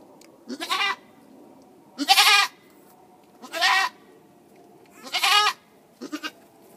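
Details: Farm goat bleating in March as the mother gives birth; four strained, noisy bleats spaced about a second and a half apart over a steady low background murmur.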